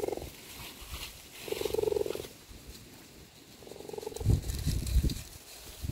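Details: Cheetah mother calling her cubs outside to play, giving three brief tonal calls with gaps between them, followed by low thumping and rustling sounds.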